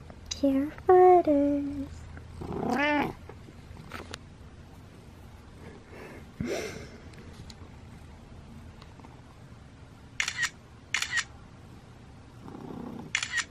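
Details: Butters the cat, dressed in a sheriff costume for Halloween, meows: a drawn-out meow and then a shorter rising one in the first three seconds. The rest is quiet, with faint soft sounds and brief clicks.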